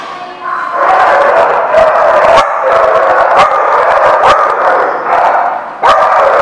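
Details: Several dogs at The Barking Lot, recorded 4/11/16, barking and yipping together in a dense, overlapping chorus with drawn-out, howl-like tones and sharp individual barks breaking through near the start and end.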